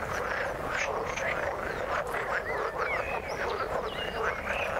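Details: Many frogs croak together in water, a continuous thick chorus of rapid rasping notes with a few brighter rising squeaks standing out above the mass.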